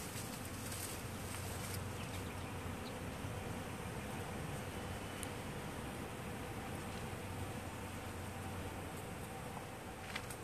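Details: Foraging honeybees by the hundreds in crabapple blossom produce an unbroken, loud low drone, steady throughout, with faint light clicks scattered over the top.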